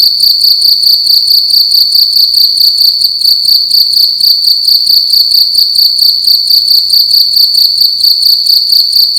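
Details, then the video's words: A cricket calling loudly indoors in a room at night: a continuous, piercing high-pitched trill pulsing in rapid, steady beats, with faint low knocks beneath. "Cricket making loud sounds at night in a room"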